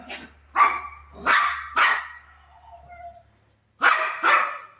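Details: A Golden Retriever puppy, Milo, playing with mom, lets out a few loud separate barks with a short gap, a faint low hum underneath and a quiet tonal sound between.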